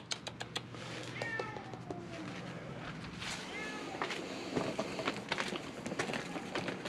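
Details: Feral cats at a closed-down building on Mare Island Naval Shipyard, Vallejo, California, crying in hope of food: a few faint, rising-falling meows early on, half-buried under clicks, rustling and steady background noise.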